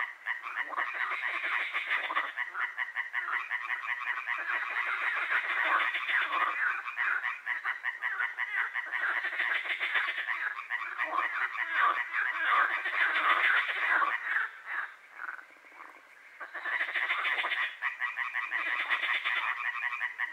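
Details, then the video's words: Frogs croaking at night in Hłomcza, Sanok commune, Poland, a dense chorus of rapid, rattling croaks overlapping continuously, with a short lull near fifteen seconds before the chorus resumes. "Rechot żab"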